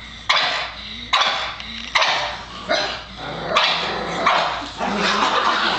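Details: Excited house Pug named Oliver barks repeatedly while the trash goes out, loud rasping barks roughly once a second with short whines between, a voice faint in the room.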